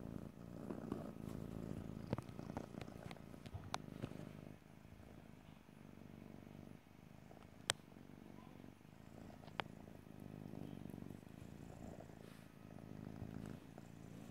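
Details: Cat purring close up in stereo, a deep vibrating rumble rising and falling with breathing, interrupted by a few sharp clicks and a quieter stretch midway.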